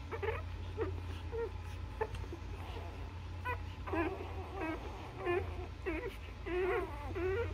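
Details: Newborn Labrador puppies suckling from their mother, with short whining squeaks that come in quick, uneven bursts, growing denser and more wavering toward the end, over a steady low hum.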